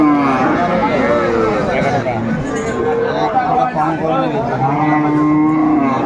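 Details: Improved-breed dairy cows with their calves at the Aftabganj livestock market in Dinajpur, recorded on 21 April 2024. Low, drawn-out moos overlap and rise and fall through a dense, busy market din.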